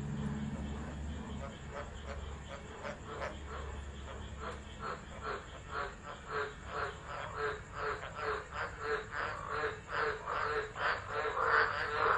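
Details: Frogs singing during a tropical low storm at Driver, Northern Territory, Australia, 13 December 2013, phone recording: a quieter, more distant chorus of quick repeated croaks, with a low rumbling hum at the start.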